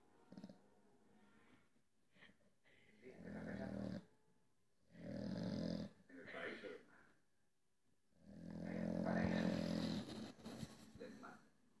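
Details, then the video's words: A Staffordshire Bull Terrier asleep and dreaming, snoring in long, low, rasping breaths about every three to four seconds, with quiet gaps between them. "Perro roncando y soñando"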